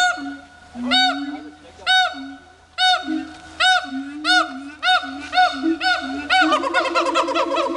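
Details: At Dubbo zoo, two captive siamangs showing off give a steady series of arched, ringing whoops roughly every second over a low sustained tone, ending in a quick rattling run of shorter notes.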